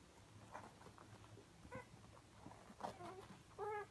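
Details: Siberian Husky puppies, four of them, at feeding time indoors; quiet room with faint scuffling, then short tonal whines near the end, the last a steady, louder whimper.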